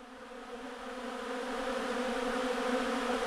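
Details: Bees at a bee farm, a dense steady buzzing drone with layered hum tones, growing slightly louder over the few seconds.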